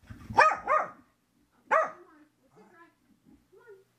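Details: Excited female Corgi barking indoors in a small room after her bath while someone tries to towel her dry; two quick harsh barks, a pause, one more bark, then faint whiny vocal sounds, caught by a floor-level helmet camera.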